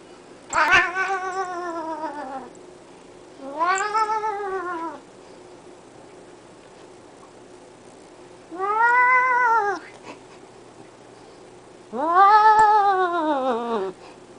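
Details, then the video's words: House cat yodeling indoors: four drawn-out yowls, each about one to two seconds, arching up then down in pitch with a wavering quality, separated by pauses of roughly two to four seconds. "Cat yodeling"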